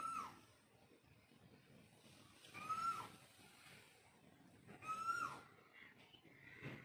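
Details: Mother cat calling to her kittens: three short tonal meows, each a quick rising-then-falling cry, spaced about two and a half seconds apart over a faint rustling background.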